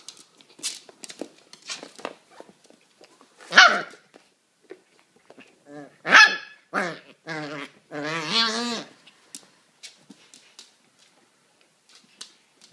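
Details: Young Kennel Club registered pedigree Cairn terrier puppy giving a few sharp barks, then a drawn-out, harmonic yelping whine around the eighth second, amid scattered clicks and handling noises.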